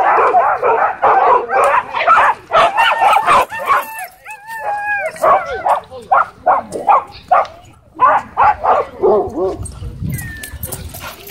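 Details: A Dwarf Staffordshire Terrier tries to dominate an American Bully at a dog park. Clustered barks give way to a string of high, bending yips and whines, then more irregular barking, with some human voices in the background.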